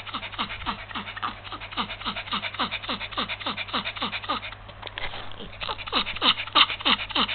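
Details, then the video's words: Pikachu, a small Yorkshire Terrier suffering heat stroke in February 2015, pants rapidly and steadily, about three quick breaths each second with a brief irregular stretch midway, over a faint low hum. "perrito con golpe de calor"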